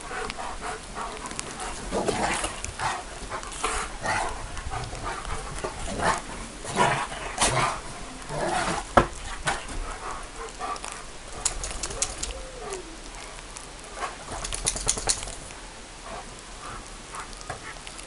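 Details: Bucovina Shepherd Dog with scattered barks, several dogs possibly joining, short broadband bursts at irregular intervals and a brief whine in the middle, over steady background noise.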